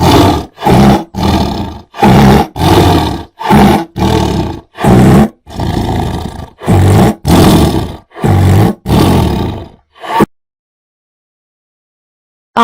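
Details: Deep, harsh tiger roars repeated rapidly, around ten grating bursts over ten seconds, then silence.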